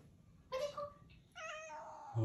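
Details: A pet cat named Odeko meows affectionately at home, staying close until its father leaves: two harmonic meows, a short one then a longer falling one, in a small quiet room.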